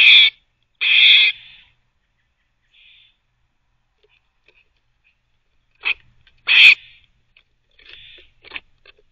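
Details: Pet squirrel barking while teething, its loud harsh barks coming in short bursts with quiet gaps, a pair of bursts near the start and another cluster after a long pause, faint soft squeaks between.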